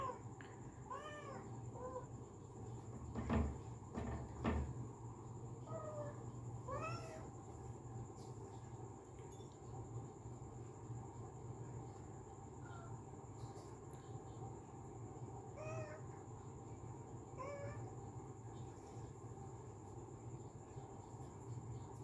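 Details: Pet cat calling sweetly indoors: scattered short meows, a few early ones clear, later ones fainter and sparse, with a pair of loud knocks or thumps near the start and a steady low hum throughout.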